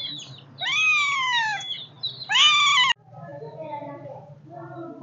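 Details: Kittens meowing: two loud, high, strained meows close together, the first a long wail that slides downward, the second shorter and brighter, then a softer stretch with faint, low, murmuring sounds in the background.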